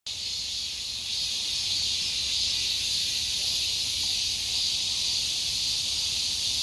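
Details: Summer cicada singing: a steady, dense high-pitched buzzing drone that holds without pause, with bright bands of hiss-like sound and very little low sound beneath.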